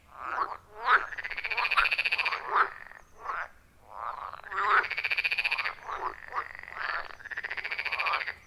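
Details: Loud, rhythmic frog chorus at a wild forest pond deep in the woods, taken with an iPhone 14 Pro plus Shure MV88+: long buzzing, pulsed croaks in two main bursts, interspersed with shorter clucking notes from neighbouring frogs.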